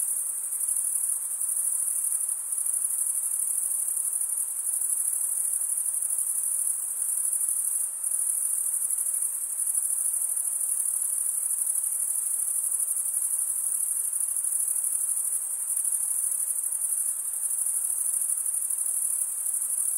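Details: Stridulating crickets: a thick, continuous treble trill like a ringing shimmer holds steady from start to end, with small brief fades. Nothing else stands out apart from faint low hiss.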